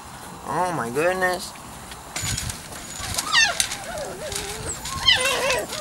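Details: Weimaraner x Vizsla puppies from Biscuit's litter, 3-4 weeks old, giving high, wavering squeals and rising whimpers that sweep upward in short bursts, with a lower harmonic whine early on and background noise throughout.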